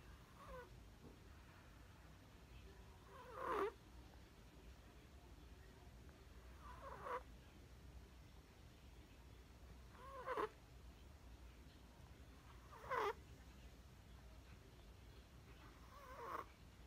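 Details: Snoring Chihuahua puppy Perchik asleep indoors, 12 October 2020: five brief wheezy snores, each with a thin whistle, repeating about every three seconds in an even sleeping rhythm, otherwise quiet.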